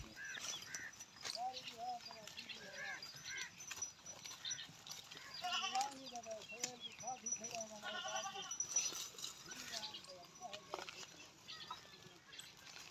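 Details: A big Pahari goat in Pakistan gives wavering, nasal bleats with a slight tremble, several in a row across the recording, mixed with people talking nearby.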